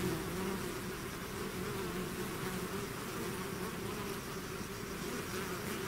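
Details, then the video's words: Many bees swarming out of a hive produce a constant, even buzz of stacked humming tones, steady in volume from start to finish. "bees therapy swarm natural buzzing sound"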